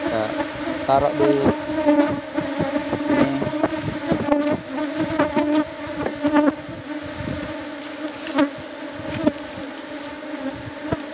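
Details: Asian honey bees (Apis cerana) kept in cultivation hive box number 17 during a honey harvest: a steady low droning hum with overtones, broken by clicks and knocks from handling the comb, plus brief voices.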